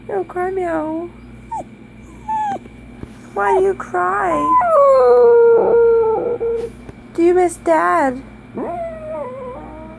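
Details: A Dachshund howls in short bursts: wavering, whining notes that break off and restart, rising and falling in pitch, with a person's voice talking in between.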